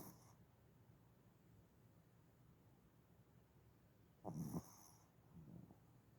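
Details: Pet dog snoring, recorded January 7, 2021: long quiet stretch of soft low breathing, then one loud rough snort near the end followed by a fainter breathy snore, in a still indoor setting.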